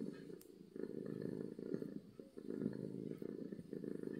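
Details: Happy domestic cat purring loudly: a dense, rumbling low buzz that runs almost continuously, swelling and easing slightly with each breath, with a few faint clicks above.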